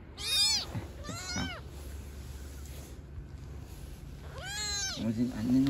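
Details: Kitten of a street-dwelling cat family calling out with two quick, piercing mews, then a pause before a third longer one, as a woman speaks Turkish nearby and a brief squeak follows.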